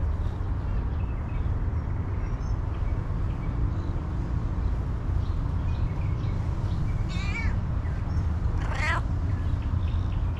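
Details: A hungry female cat, happy for attention and food, gives two short harmonic meows late in the recording, the second brighter and wavering, over a steady heavy low rumble of background noise.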